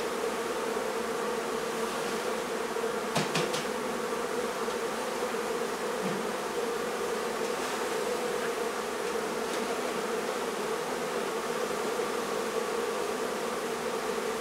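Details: Honey bee colony being removed from a barn in La Feria, Texas: a dense, steady buzz of many bees holds a low droning hum throughout, with a few faint sharp knocks around the third second.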